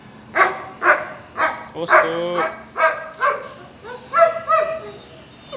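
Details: A pair of German Shepherd puppies, male and female, yapping in short high yips about every half second, some drawn into wavering whines, with faint voices behind.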